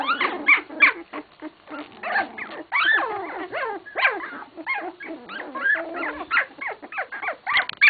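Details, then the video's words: English Cocker Spaniel puppies, 16 days old, give rapid, sharp yelps and squeaks, roughly three a second. The short cries mostly slide downward in pitch and come in uneven bursts from several pups at once. "English Cocker spaniel puppies - 16 days old"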